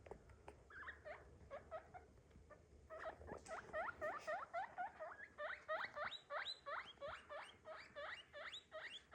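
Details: Squeaky upward-sweeping whistles from a pet guinea pig, sparse at first, then a steady rapid chain of about three to four per second after a rustle.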